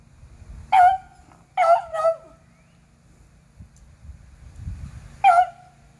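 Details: Beagles on a squirrel hunt, April 21, 2020, the pack being eleven-year-olds Athena and Zeus with three-year-old River; a bark, a quick double bark, then a lone bark after a pause, over low rumble.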